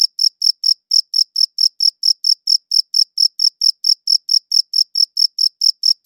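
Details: A cricket chorus recorded with a quality recorder, producing a continuous train of short, piercing chirps, about four a second, even in loudness and spacing, with a silent background.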